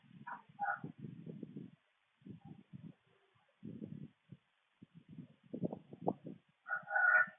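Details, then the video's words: A raccoon gives rough, guttural grunts and growls in broken bursts toward a possum, with higher wavering squeals. "PBBcam118 raccoon makes awful noises toward sad possum"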